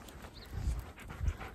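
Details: Siberian Husky snorting while trying to leave a person behind; two short, low, breathy snorts roughly half a second apart, over a faint steady background hiss.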